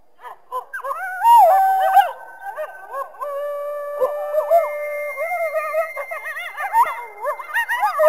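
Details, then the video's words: A group of coyotes howls and yips together. Long, steady howls hold at different pitches while shorter, bending yelps and warbles break in between, and the chorus grows busier toward the end. "coyote sounds"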